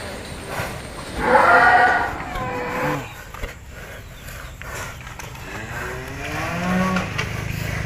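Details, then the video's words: Raging extreme bull in Indonesia being exercised in training: one strong harmonic moo near the start, then fainter lowing sounds over a noisy background with low rumbling. "SAPI EXTRIM HALILINTAR NGAMUK BERLATIH"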